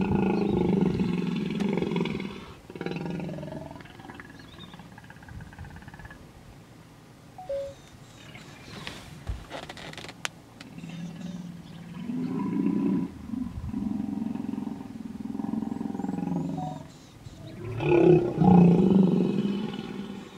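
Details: Stand-off among a small hippopotamus pod in Kruger National Park's Vurhami River, South Africa, with a female defending her young from a male; two bouts of deep rumbling roars separated by a quiet stretch, a louder bellow near the end.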